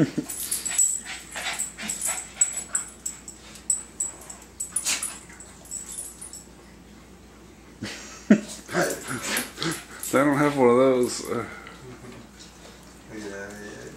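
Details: Two dogs, a Boston Terrier and a Bullmastiff, playing against each other. Wheezy snorting breaths and scuffles come first, then a loud wavering whine-growl with rippling rising-and-falling tones, and a shorter whine near the end.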